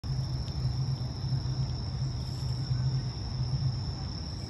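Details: Bell crickets singing at night in Higashi-Shirahige Park, Sumida, Tokyo, on September 3, 2022, from 6 pm, recorded on an iPhone SE smartphone: a steady, high ringing insect tone over a heavy low urban rumble.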